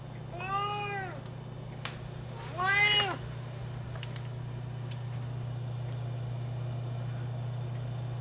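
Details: Loud Siamese cat Sienna, twelve years old, calling out while looking for love: two strong, bending meows in the first three seconds, then only a low electrical hum and faint clicks.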